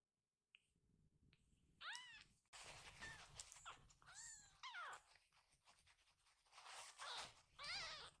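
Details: Several rescued baby kittens rushing to their caretaker as she enters the room, giving repeated thin, arching high meows over a busy background of rustling, handling noise and overlapping chatter.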